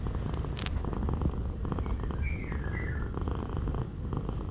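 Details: Close, loud domestic cat purr: a thick, fast-pulsing rumble that barely pauses for breath. A brief faint whistle-like tone appears in the middle.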